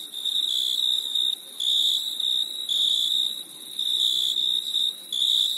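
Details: Summer night crickets give a shrill, pulsing chirp in long bursts of around a second, separated by brief pauses, the high ringing tone dominating over a quiet background.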